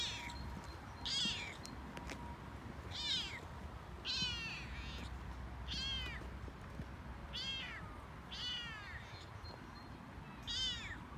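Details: Male Toyger cat talking on a walk he loves, excited and chattier than usual: a run of eight short harmonic meows, each bending up then down, spaced about one to one and a half seconds apart over low outdoor rumble.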